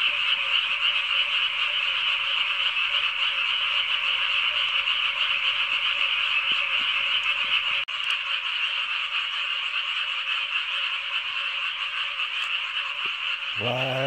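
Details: Massed frogs calling near a freshly harrowed rice paddy in summer, called noisy and blamed for sleepless nights. A steady, grating trill runs throughout without a break. A brief human voice is heard at the very end.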